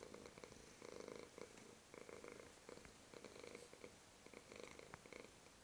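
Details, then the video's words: Black male domestic cat purring while resting on a lap indoors; soft, steady rhythmic purring in repeated pulsing bursts with brief quieter gaps, close and clear. "Purring Lap Cat / schnurrende Schmusekatze"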